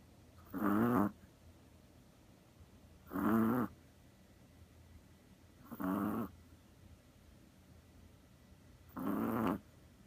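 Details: Deeply asleep on a lap like a cat, a Chihuahua gives four rough, buzzing snores, one roughly every two and a half to three seconds, separated by near silence.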